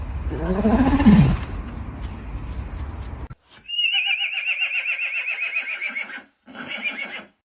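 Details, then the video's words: Horse neighing: a low groaning snort, then after a short pause a high, quavering whinny with fast vibrato lasting about two and a half seconds, ending in a brief final burst. "Funny horse neighing sounds"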